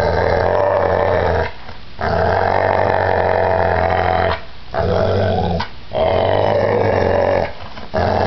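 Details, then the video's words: Pit bull attacking violently, snarling in long sustained growls of several seconds each, separated by short sharp pauses. "Pitbull Attack"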